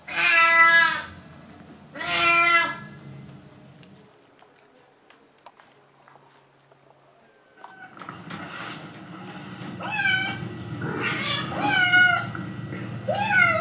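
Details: Litter of 28-day-old puppies in their pen before dinner, still sleepy after a nap; two clear high whines, a few quiet seconds, then several puppies whining and yelping together in overlapping, rising and falling cries.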